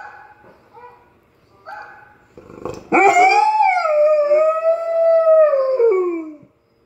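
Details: Irish Setter, a pet dog, howling along with dog singers heard online: soft background music and short notes, then a loud sustained howl that rises briefly and sinks in a slow falling glide.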